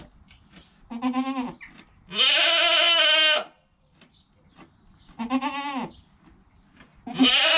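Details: Goat bleats recorded with a GoPro within an hour of a newborn kid's birth, mother nearby and calm: four quavering, harmonic-rich bleats, two short and falling, two long and strained, separated by short quiet gaps.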